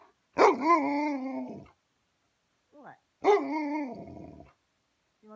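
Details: Hungry Alaskan Malamute wanting dinner, uttering two long, wavering 'woo' howls about three seconds apart, each starting sharply and sliding down, with a faint short squeak between them.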